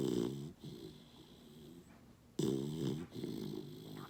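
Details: A Basset puppy snoozes and snuggles in the morning, making two deep, rattling snores with a throaty buzz, each under a second long, separated by quieter breathing.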